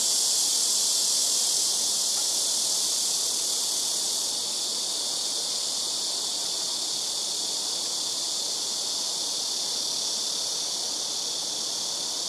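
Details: Loud blackish cicada chorus from trees around a home rooftop, callers alternating between neighbouring trees; a steady, unbroken shrill buzz dominates throughout, easing a little in intensity midway.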